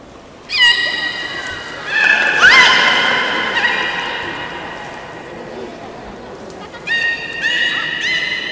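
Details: Captive beluga at Port of Nagoya Public Aquarium, Japan, public training show of 18 July 2016, 13:30 session: bursts of rich harmonic squeals and sweeping whistles, loud at the start, a rising glide mid-clip, then two more bursts near the end.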